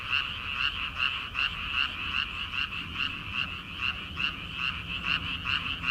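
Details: Rice-paddy frogs in early summer, before rice planting, croaking in a thick chorus. Rasping pulses repeat roughly two and a half times per second over a quiet low background.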